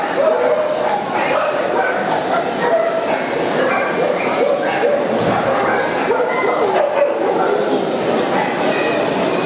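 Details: Yorkshire Terriers at the CACIB international dog show in Montluçon, France, March 2016, during a Yorkshire specialty: sharp, high yappy barks scattered through steady crowd chatter in a reverberant indoor hall.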